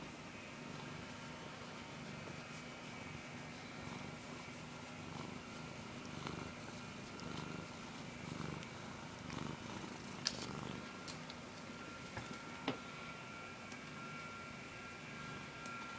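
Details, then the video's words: Missy, a pet cat, snoring while asleep: a very quiet, low, rhythmic rumbling breath sound that runs without a break. A faint steady hum sits in the background, and a few soft clicks come near the end. "Missy snoring"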